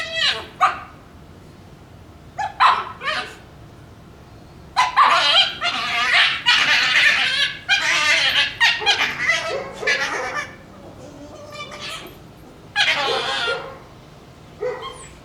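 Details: Playing Shiba Inu puppies fighting over a bone let out strange fox-like sounds: bursts of raspy yelping screams, clustered and irregular, with quiet gaps between the outbursts.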